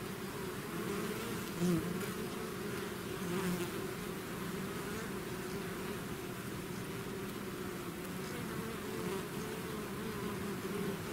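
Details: Bees swarming out of their hive produce an unbroken, even buzz over eleven seconds, layered low hums with brief louder swells near the start, a faint airy hiss overhead.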